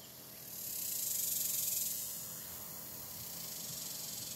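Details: Cicadas buzzing busily in July heat: a steady, high-pitched hiss that rises into a louder swell between one and two seconds, eases, then carries on evenly.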